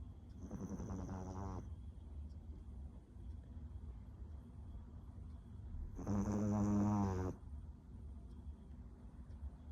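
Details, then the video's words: A small dog snoring big in its sleep: two rasping, harmonic snores roughly five seconds apart, the second louder and longer, over a faint steady hum. "Snoring Doggo"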